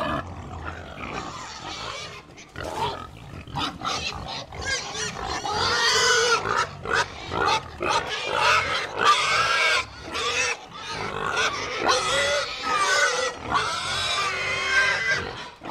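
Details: Pigs in a herd grunting and squealing, quieter choppy grunts at first, then louder high-pitched squeals repeated in quick bursts, many animals sounding together.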